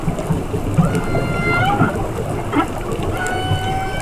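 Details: Whale song recorded underwater during a dive: drawn-out, overtone-rich tonal notes that hold steady or glide gently upward, one after another, over a deep, constant underwater rumble.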